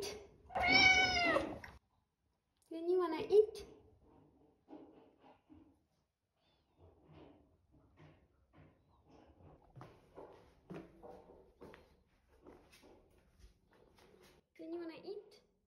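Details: Asking for food, a Scottish Fold cat lets out a long, loud, quavering meow at the outset, then a shorter meow, while a person talks softly in short phrases and the cat adds a brief final call.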